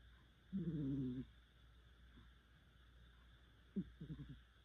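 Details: Cat snoring hard in its sleep: one long rattling, harmonic drone lasting about half a second, then a sharp snort and a quick stutter of three or four short rasps, over a low steady hum.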